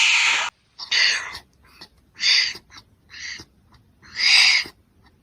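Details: Wombat's rough, airy hisses come in five bursts over five seconds, the first and last longest and strongest, with near silence between.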